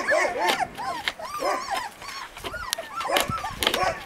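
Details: Several husky puppies in Lapland yapping together in a dense overlapping chorus of short arched yips and barks, almost without pause.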